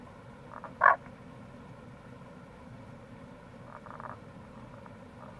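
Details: A single loud, clipped croak from a Tago's brown frog, recorded in April beside a gorge on the Kamo River in Itoshima, Fukuoka, Japan, then faint pulsed chatter a few seconds later against constant low rushing noise.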